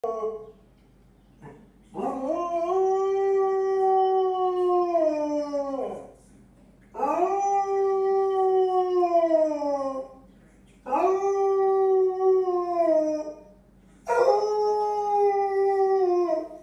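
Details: Female Basset Hound howling while playing with her squeaky ball; four long, steady, rich harmonic howls of three to four seconds each, rising at the start and sagging at the end, separated by short quiet gaps.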